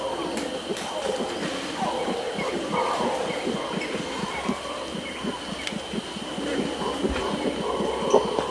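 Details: Close red howler monkey directing aggressive grunts at capuchins: a dense train of short, gruff pulses over the background roaring of its troop, with brief rustles of movement.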